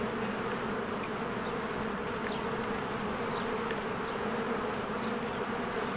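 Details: Spring beehive with swarms of bees flying in and out, giving a thick continuous hum of many wingbeats; a few faint, brief bird notes flick through the background.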